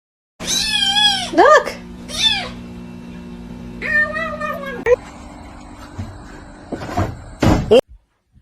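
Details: Kitten meowing and crying indoors, with several drawn-out, wavering meows in quick succession near the start and another a few seconds later, while people talk nearby.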